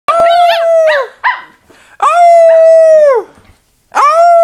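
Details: Pet dog being taught to howl by its owner, giving long sustained howls that waver at the start then hold steady and fall away at the end, three drawn-out howls with short breaks between.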